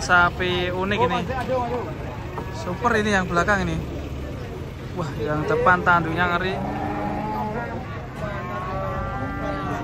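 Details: Restless cattle coming down from a truck. A long, even moo rises out of loud men's voices in the final seconds, after a stretch dominated by talking and shouting.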